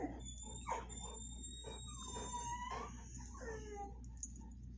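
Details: Penny the Vizsla and Watson the Bull Mastiff whine while greeting a friend. The whines are drawn-out and tonal, some rising and some sliding down, with short squeaky bursts between them and a faint high tone behind.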